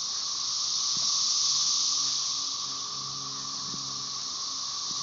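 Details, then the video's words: Brood XIX cassini periodical cicadas (Magicicada tredecassini) chorusing with M. tredecim in the background, Tyler Bend Park near Marshall, Arkansas, 30 May 2011: a dense, steady high-pitched hiss that swells once, then holds, with faint low rustles. "Periodical cicada "cassini" chorus"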